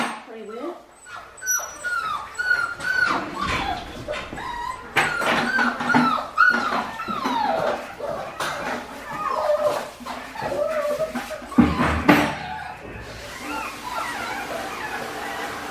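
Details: Australian Shepherd puppies aged five weeks on a farm in Oklahoma, giving many high whining and yelping calls that rise and fall, overlapping one another, with some rustling and a voice in the background.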